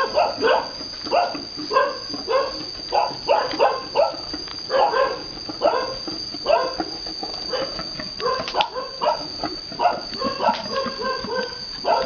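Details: On a farm in Vietnam, a boar mates a virgin sow. Steady series of clipped, tonal grunts at an even pace, some doubled, with a continuous thin high whine running throughout.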